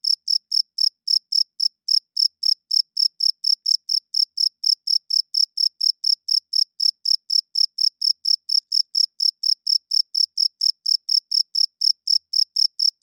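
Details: Loud night chirping of a cricket, made by the male rubbing its wings together; crisp, shrill chirps follow one another steadily at roughly four per second throughout, clean and without background noise.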